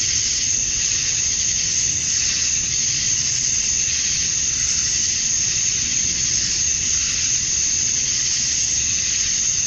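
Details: Male cicadas chirping to attract females at dusk on a summer night in Georgia, USA: a dense, steady, high-pitched hissing buzz with gentle swells in intensity, no pauses, nearly all energy high up, faint low rumble beneath.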